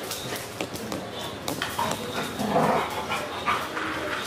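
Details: Golden retriever × Belgian Malinois cross dog giving several short, sharp barks and a longer mid-pitched bark, with a person speaking underneath and occasional clattering.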